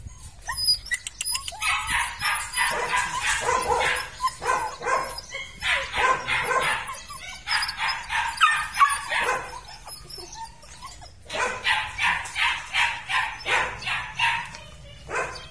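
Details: Red-and-black Belgian Malinois puppies from a weaned litter barking in repeated bursts: quick strings of high yaps, several puppies together, stopping and restarting every few seconds with short silent breaks between runs.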